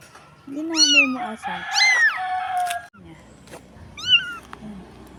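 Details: Stray kitten on a dirty street, crying for help and apparently lost from its mother: loud, high, drawn-out meows with falling tails, three calls across the clip, while a woman speaks softly to it.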